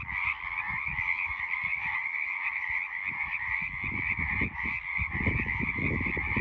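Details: Many frogs croaking together in an unbroken, buzzing chorus with two stacked pitch layers, accompanied by frequent low thumps and rumbles from wind or handling, heaviest toward the final second.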